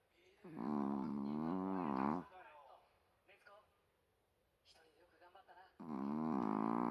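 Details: Loud, human-sounding snoring from a dog next to its owner's ear: two long, buzzy, moaning snores, each around two seconds, separated by several seconds of faint breathing and small shuffling noises in a quiet room.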